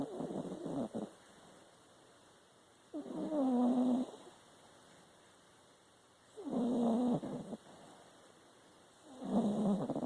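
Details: Pet dog snoring: three rasping, nasal snore bursts about a second long each, with a faint whining tone inside, separated by quiet pauses of roughly two to three seconds.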